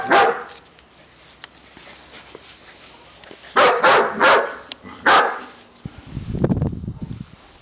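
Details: Siberian Husky puppies letting out a few loud, rasping barks in a quick cluster after a quiet stretch, followed by a low rumbling noise at the end.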